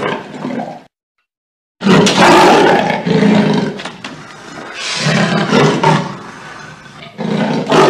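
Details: Leopard giving loud, rough roaring bursts with a broad harsh tone, separated by an abrupt silent gap, the growls pulsing in repeated heavy surges.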